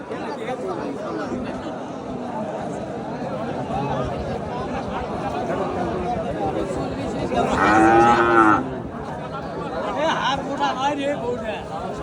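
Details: Lean cattle at a 2025 Qurbani animal market: a single moo rises out of dense crowd noise and voices near the end, lasting just over a second before the market hubbub resumes.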